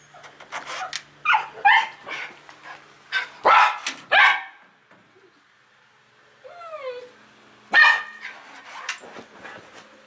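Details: Ashton, a female Schnauzer on a patio, gets excited on hearing her owner arrive home from work. A burst of sharp barks and yips is followed by a high, falling whine, then more barking.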